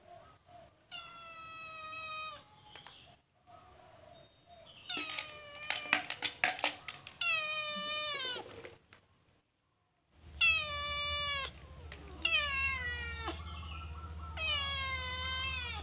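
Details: Cute calico cat stealing food inside a cage gives a series of loud, drawn-out meows with falling ends, broken by a burst of rattling clatter mid-sequence, then three more meows over a low hum.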